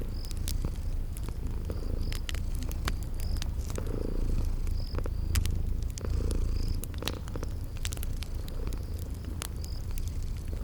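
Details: Sleeping kitties purring near a fireplace: unbroken low throaty rumble, frequent sharp crackling pops of burning wood, and occasional high cricket chirps from a spring garden backdrop.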